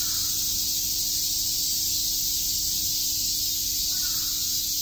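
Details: Summer cicada chorus at Shakujii Park in Tokyo, a steady high-pitched shimmering drone without pauses, with a faint brief call near the end behind it.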